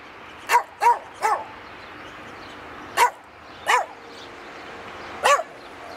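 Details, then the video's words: Rescue Rat Terrier singing along to "Jingle Bells" for Christmas: six short yelping, howl-like notes in uneven bursts, two close pairs then spaced single cries, with a quiet room background. "my rescue Rat Terrier sings "Jingle Bells?""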